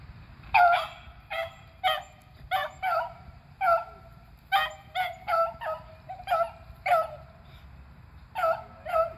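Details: Beagles Athena, Zeus and River, two eleven-year-olds and a three-year-old, hunting squirrels in April: an excited run of ringing bays and yelps, repeated roughly every half second in clusters, overlapping voices, with a soft low background hum.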